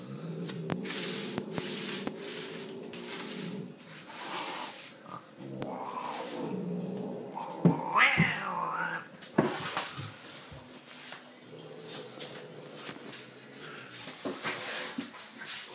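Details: Lucifer, a pet cat, gives low drawn-out wailing moans in the opening seconds, then shorter uneven cries amid scattered clicks, rustles and bursts of household noise.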